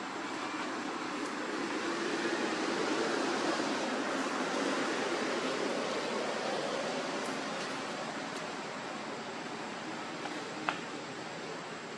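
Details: Even broadband hiss like rushing water or wind fills the recording, broken only by a few faint clicks, with no animal calls.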